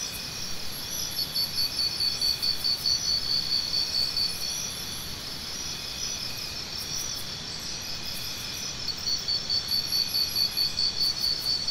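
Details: Cricket heard in two bouts of fast, regular high chirps, about three seconds each and separated by a pause of several seconds, over an unbroken shrill insect chorus.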